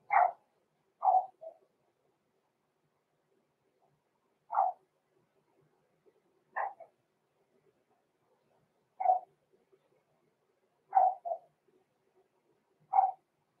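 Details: Blenheim Cavalier King Charles Spaniel puppies, six weeks old, in an indoor home puppy pen: a string of short, high puppy yaps, sometimes doubled, repeated irregularly every two to four seconds over a quiet background.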